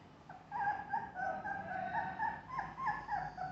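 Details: Golden and black Labrador Retriever puppies offered for sale in Vijayawada, Andhra Pradesh, India, give high, thin whimpers and short yips, each bending up then down, tumbling out several times a second over a low background hum.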